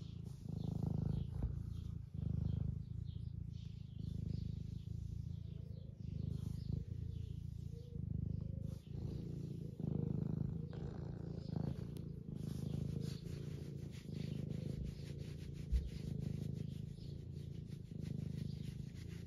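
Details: Eric, an 11-year-old semi long-haired domestic tabby cat in the UK, purrs while being stroked and wanting attention: a steady, deep rumbling purr with a rhythm that swells and dips with each breath, continuous for the whole stretch.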